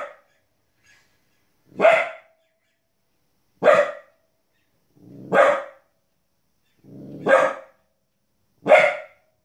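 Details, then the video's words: Border Collie puppy, 15 weeks old, barks at animals shown on television; five or six sharp yaps spaced roughly two seconds apart, a few with a short low lead-in, on a quiet background. "Our 15 weeks old Border Collie puppy Barking at TV"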